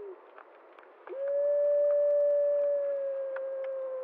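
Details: Wild gray wolf of the Prospect Peak pack howling before dawn on October 10, 2014, near Blacktail Ponds, drawn to a bison carcass; one long, steady, pure howl rises sharply then holds level for about three seconds, with faint clicks behind.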